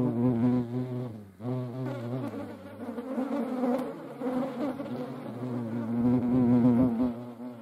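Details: Fighting European hornets produce a loud, deep wing drone with stacked overtones, broken by a brief dip and then resuming, its pitch quivering and sliding as the insects wrestle.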